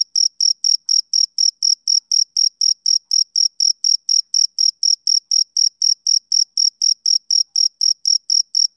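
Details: A male cricket's summer-evening chirping: clipped, shrill pulses repeated roughly four times per second with metronome-like regularity. No other sounds are present.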